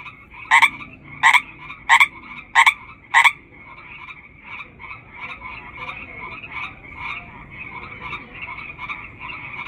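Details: Chorus of hundreds of frogs: a nearby lead frog gives five loud, rasping croaks, then stops, leaving only the softer, pulsing buzz of the distant chorus.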